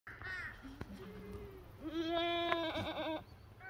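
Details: Black goat on a black goat farm making extract; a short wavering bleat, then a louder, longer harmonic-rich bleat held about a second and a half, with faint background hiss.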